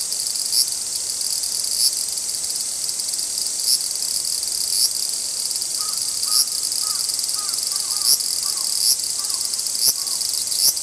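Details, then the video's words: Two large brown cicadas in a dispute: a constant shrill sizzling buzz punctuated by regular sharp ticks every second or so. Faint, soft, lower chirping notes join briefly in the latter half. "アブラゼミの諍い（Dispute of large-brown-cicada ）"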